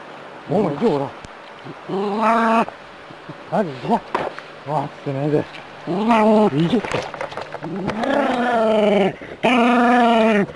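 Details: Jack Russell terrier from the city confronting a harmless rat snake: clusters of short, arching whimpers build into longer, tremulous yowls, the last two loud and sustained, with brief gaps between outbursts.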